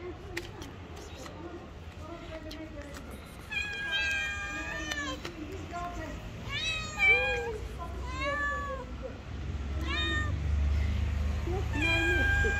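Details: Two hungry stray cats living on the street meow loudly, asking for food: a busy run of harmonic, arching meows, some rising and some falling, overlapping from a few seconds in, over low traffic rumble and faint speech.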